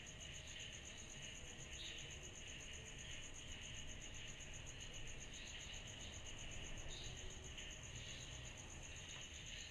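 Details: A summer-night cicada chorus. One continuous, finely pulsed shrill tone holds steady throughout, and a lower buzzing hum swells and fades over it, backed by a faint low rumble.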